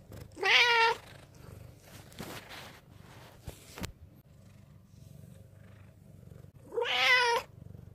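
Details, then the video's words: Low-voiced yet cute appeal from Ten, a black rescue cat taken in from a mountain village in 2013: a short, strong meow, some handling rustle and thumps, then a second meow several seconds later. "にゃ〰️ﾆｬｰとアピールする保護猫 A cat that makes a low voice even though it sounds cute."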